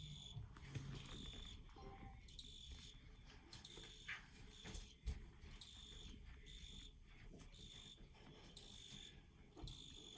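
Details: Quiet field cricket chirps, with high trilled bursts repeating in a steady on-off rhythm against low rumble and scattered faint clicks.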